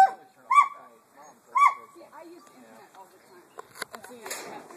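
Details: Gibbons at the Gibbon Center sing loud, harmonic whoops about a second apart, with softer warbling notes between.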